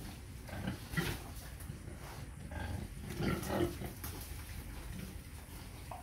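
A pig gives low, rough grunts in short irregular bursts, with some background rustling.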